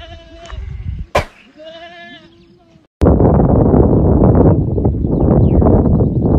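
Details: Boer goats on a goat farm give a few quavering, nasal bleats, one answering another, before a loud roar of wind or handling noise drowns everything for the second half.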